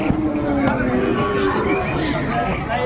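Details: Sahiwal bull calves at a cattle market in Chattogram, Bangladesh, on 3 February 2025, one giving a low, drawn-out moo that holds steady for over a second amid busy chatter and voices of market traders.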